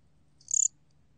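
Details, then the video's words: One brief, high, rapidly pulsed chirp of roughly six pulses from a gom cricket (곰귀뚜라미), from a 2020 National Institute of Biological Resources recording, over a faint low hum. "곰귀뚜라미, 여러번 듣기, 곤충소리"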